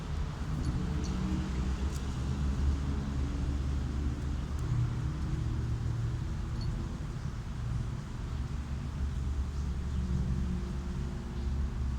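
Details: Steady low rumbling engine-like noise throughout, with no animal voice heard.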